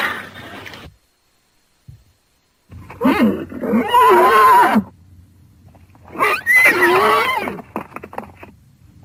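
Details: Horse calling in two loud bursts, each a harsh, wavering tone with shaky rise and fall, separated by a quieter gap with faint background hiss.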